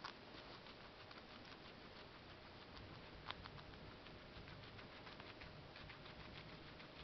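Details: Female guinea pig eating parsley, munching steadily: a dense run of soft, rapid crunchy clicks throughout, with one sharper click near the middle, over a quiet indoor background.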